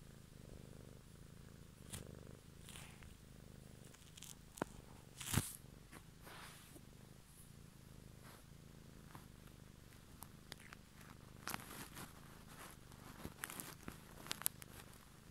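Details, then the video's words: Low, even cat purr running throughout, broken by scattered clicks and a brief louder rubbing or handling noise near the middle. "ASMR Cat song"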